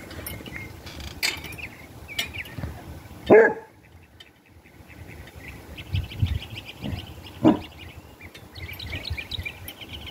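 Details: Arguing Basset Hound outside gives two heavy barks roughly four seconds apart, with softer low sounds between them, while small birds twitter and chirp throughout.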